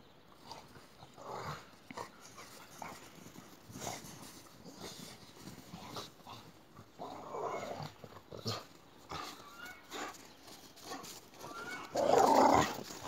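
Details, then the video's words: Boxer dogs playing chase, giving short rough growling and whining bursts scattered through the romp, the loudest near the end, mixed with scuffling paws and rustling movement. "Боксеры играют в догонялки. Boxer Dogs."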